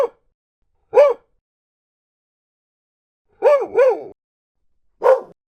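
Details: Barking dog from a collection of varied breeds, big and small: single and paired clear, tonal barks with a rising-falling pitch, spaced a second or more apart in silence.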